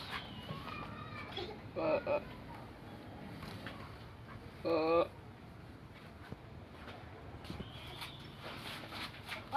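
Two brief, quavering goat bleats stand out, the second slightly longer and harsher than the first. Between them lies a low, constant background noise with faint scattered sounds.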